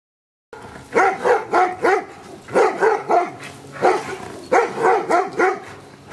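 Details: Giant Schnauzer Luther barks rapidly in Schutzhund training to get used to stick hits, fast rhythmic volleys of three or four barks with short breaks between.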